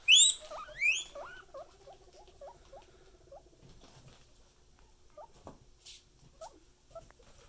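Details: Pet guinea pig opening with two shrill rising wheeks, then a long series of quiet, rapid squeaky chirps with light rustling.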